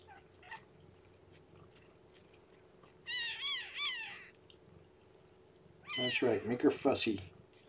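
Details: Weak, lethargic newborn kitten of the rescued cat Shelby, underweight and being fed and warmed by hand indoors, gives a thin, high, wavering mew lasting about a second, followed later by a louder, rougher burst of lower sound.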